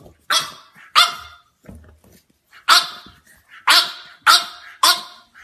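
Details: French Bulldog puppies giving sharp, high yappy barks in short clusters, six main barks over about five seconds with quieter soft yips between, in a quiet room.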